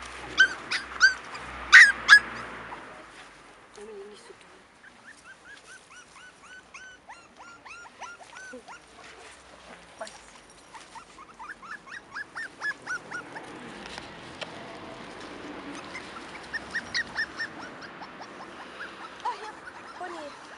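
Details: Cairn Terrier puppies, five weeks old, born 28 June 2015 at the Stromerhof kennel; many thin high whines and squeaks in overlapping series, louder yelps early on, a steady hiss of background noise throughout.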